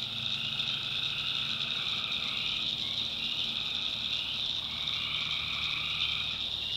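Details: Night chorus of tree frogs in North Carolina backwoods swampland: steady high-pitched trilling from many frogs at once, with a lower band of calls that drops out and returns midway through.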